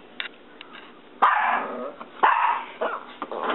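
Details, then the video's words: Sam, a pet dog indoors, barking at a reflection in the window: two loud, harsh barks about a second apart after soft muffled sounds, with a person's voice nearby. "Sam's Barking Reflection"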